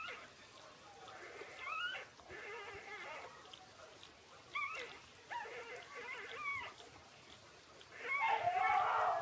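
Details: Six-day-old Shiba Inu puppies Ôkami and Ikkyu give thin whimpers that bend up and down, in short bursts separated by quiet gaps, over a steady hiss of background noise.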